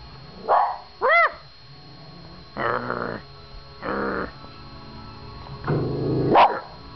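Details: Pet dog barking at a television indoors; a few harsh barks and a rising whine-like yelp, spaced irregularly, over steady TV background sound with a faint tone.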